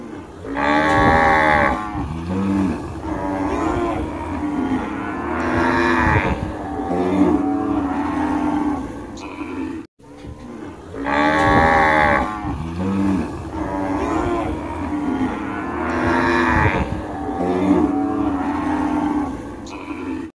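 Cows mooing with long, low, drawn-out calls that swell and fade, repeated several times.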